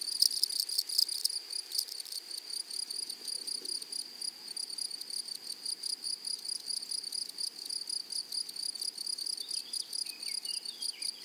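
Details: Flowery prairie meadow with grasshoppers singing: a high, sharply pulsed buzzing repeats steadily in quick even bursts, louder at the start, with a few faint bird squeaks late in the recording.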